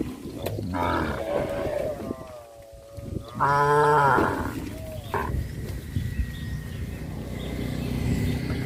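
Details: A herd of cows walking and jumping in a rice field on a traditional village farm; one long harmonic moo around the middle, with shorter lowing before and after, over a steady rumbling background.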